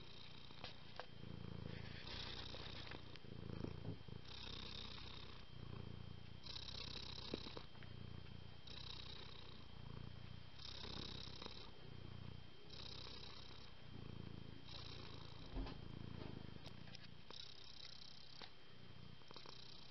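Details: Exceptionally calm domestic cat purring steadily: a low rhythmic rumble pulsing in and out with breathing, roughly every two seconds, continuous and soft throughout.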